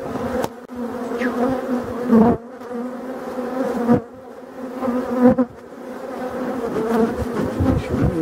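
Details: Buzzing of European dark bees at a Voirnot hive being prepared for winter, one of several abandoned hives in a forest, 30 October 2021; steady droning hum with harmonic bands, broken by loud clunks and handling knocks.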